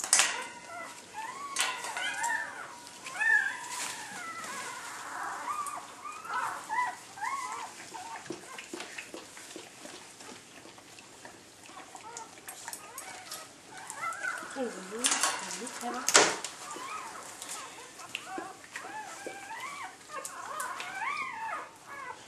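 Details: Labrador Retriever litter of eight newborns at the birth of the final pup, a red female; many small high squeals and whimpers, short arching chirps repeated throughout, over steady rustling of bedding and occasional clatter indoors.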